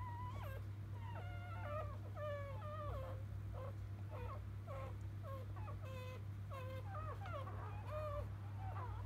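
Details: Field-line Labrador Retriever newborns, born moments earlier to champion Biscuit, cry in repeated short bent whimpers, about one and a half per second, some stepped and wavering, overlapping pups over a continuous low hum.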